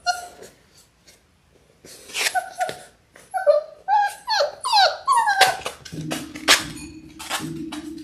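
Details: Labrador Retriever puppies in their sixth week, six littermates on a live stream: a run of descending whines and yelps coming every half second or so, with a low steady hum and scuffling in the background.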